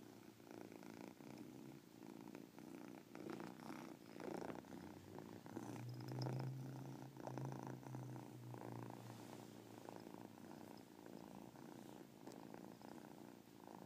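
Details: Domestic cat named Caspurr purring, its chirp heard inside the purr; a continuous rumbling purr pulsing about four times a second, swelling louder around the middle before settling back to a steady hum.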